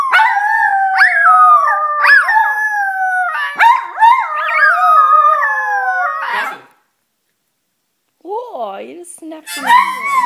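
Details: Two poodles singing, a drawn-out, wavering howl in sliding tones that rise and fall, several voices overlapping for about six seconds, then a pause and a shorter, bending howl resuming.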